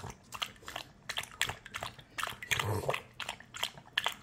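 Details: Puppy lapping water in a small room: a run of sharp, wet slurping clicks at irregular intervals, with a few louder splashy laps toward the middle.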